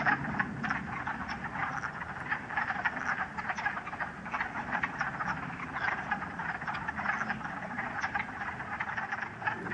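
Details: Wood frogs calling in a dense spring chorus at West Hill Park and Dam, Uxbridge, Massachusetts, on a sunny 30 March 2013 with snow lingering in shady spots; many overlapping clucking, duck-like croaks form a continuous rattling din.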